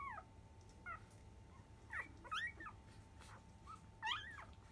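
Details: Newborn field-type Labrador Retriever puppy, five days old, at 10 a.m. feeding, litter of biscuit. Brief high squeaks and chirps, often sliding downward, come in scattered bursts about once a second over a quiet background with a steady hum.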